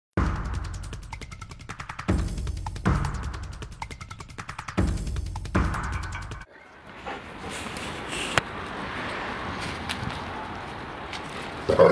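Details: Loud rhythmic music with heavy bass beats pulses for six seconds, then gives way to a broadband rumble of scuffling and thuds with a sharp knock near the end.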